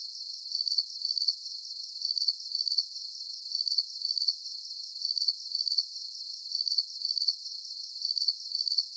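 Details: Crickets chirping at night in a relaxing nature soundscape: high, buzzy pulses in short bursts, usually paired, repeating steadily about every second and a half over a faint constant hiss, with nothing else heard.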